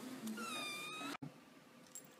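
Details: Domestic cat giving one drawn-out, wavering meow lasting under a second, with rich harmonics sliding slightly up and down, followed by a sharp cut and quiet room noise with a faint click at the end.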